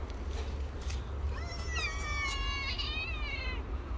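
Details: Homeless black cat or his stray friend, both hungry, voicing a long plaintive meow with a slight wobble and a second overlapping cry, set against steady low urban rumble.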